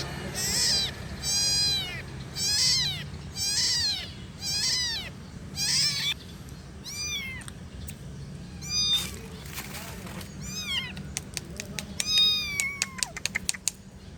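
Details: Kitten meowing, a run of loud, evenly spaced high mews about once a second, then softer, quicker calls with sharp clicking sounds, over faint low hum.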